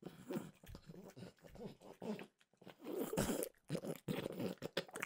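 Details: Close, steady chewing and soft crunching as French bulldog Mimosa has a snack of peanut butter flavored dog treats, with a short pause near two seconds.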